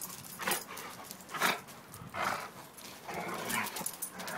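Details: A Pitbull and a German Shepherd playing together for fun: loud, rough, broadband huffing and growling bursts roughly every second, with short gaps of scuffling between them.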